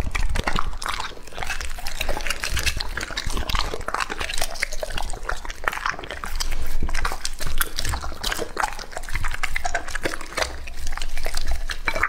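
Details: Close-up eating by Lucky, a two-and-a-half-year-old English-type Labrador Retriever, on raw meat; moist crunching and lip-smacking continue without pause, with a brief louder burst of bites midway.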